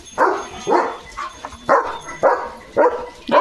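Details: German Shepherd named Leo barking continuously at sheep passing his gate, a run of six harsh barks at a steady pace of roughly two per second.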